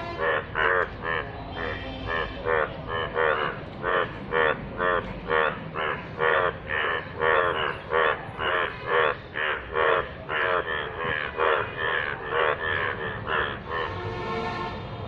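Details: Indian bullfrogs calling in rainwater give loud, nasal, bleating croaks in a rapid, overlapping chorus.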